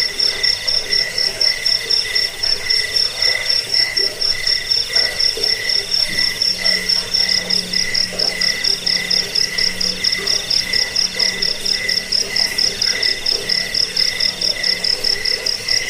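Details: Jangkrik, or crickets, recorded for repelling rats, bedtime listening and training birds: a rapid, regular high chirping at roughly two pulses per second, backed by a softer continuous insect trill and a faint low hum midway.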